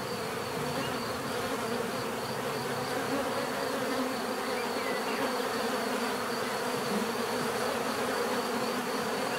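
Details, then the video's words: Bees producing a constant, dense buzz, many wingbeats merging into a level hum with bands of tone, steady over more than nine seconds. "bees therapy relaxing natural buzzing sound"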